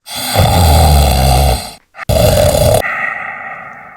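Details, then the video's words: A cat snoring at night: a loud, low, rasping snore drawn out for nearly two seconds, a brief pause, then a shorter, harsher rattling breath that fades into a soft hissing exhale. "Cat snoring at night"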